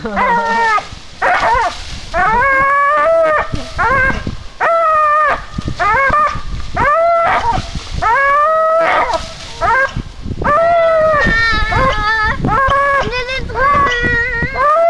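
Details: Vénus, an American Staffordshire Terrier, gives a long run of drawn-out, tonal yowling cries, each rising then levelling off, coming almost without pause for fifteen seconds, with brief rougher bursts between them.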